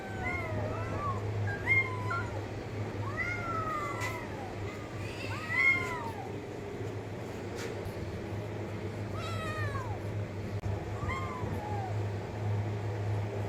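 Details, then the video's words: Several arched, slightly drawn-out cat meows come in bursts, some overlapping and then falling in pitch, with a steady hum underneath and a faint click now and then. "cat meowing sound effect"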